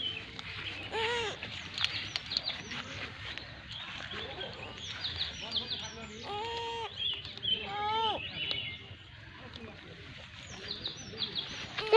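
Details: Lamb bleating several times, short wavering harmonic bleats spaced a few seconds apart, with people talking and cooing to it throughout and faint chirps in the background outdoors.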